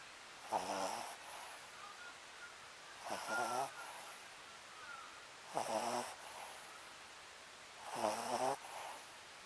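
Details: Sleeping Papillon named Sakura snoring steadily, four throaty, rattling inhalations spaced about two and a half seconds apart, each with a brief airy hiss, in a quiet room.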